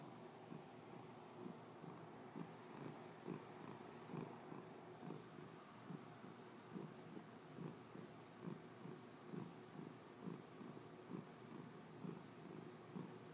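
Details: A domestic cat purring hard and without a break. The rough, rumbling purr swells in soft pulses about once a second, steady across the whole stretch, with no other sounds.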